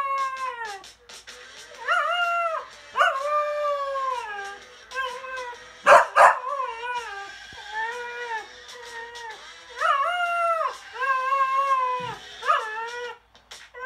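A Cocker Spaniel howls in drawn-out, wavering notes, each sliding up then gently falling.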